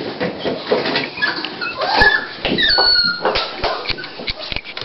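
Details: Dolly, a female Toy Pinscher, at the start of giving birth to puppies indoors on 28 October 2012: a thin, high whine of about half a second over steady rustling and clicking handling noises.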